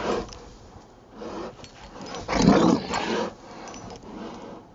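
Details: Rottweiler playing in the snow in Maryland on a Saturday afternoon, December 19, 2009; a low, rough growl swells to its loudest around the middle, with softer breathy rumbles before and after and faint rustling of snow.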